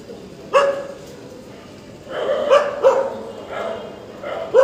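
A dog gives short, sharp barks at irregular intervals against a faint background murmur.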